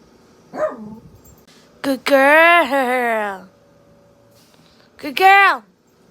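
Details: A female pet dog howls in answer to her owner's weird noises: a wavering, drawn-out howl of about a second and a half, then a short falling howl, with brief human vocal noises before them.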